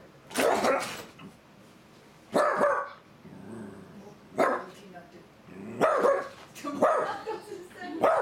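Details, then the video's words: A miniature dachshund gives sharp, high barks in short bursts, one to two seconds apart, and a frightened Yorkshire Terrier that doesn't get along with it steps back. "Yorkie steps back as the miniature dachshund barks"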